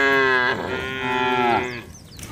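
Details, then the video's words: Cattle being herded along wet roads toward their barn in the rainy season, calling with a long, loud harmonic moo of about one and a half seconds that slides slightly downward and fades, followed by faint chirping in the background. "Bunyi sapi"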